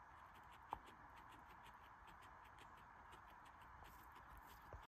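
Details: Guinea pig munching its food: quick, regular crunchy chewing bursts several per second, one sharp click near the start, over steady background hiss.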